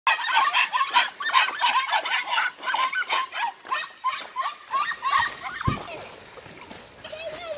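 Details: Eight-week-old German Longhaired Pointer puppies meeting water for the first time. They give rapid, repeated high yelping cries, several per second, in a steady run that fades out toward the end.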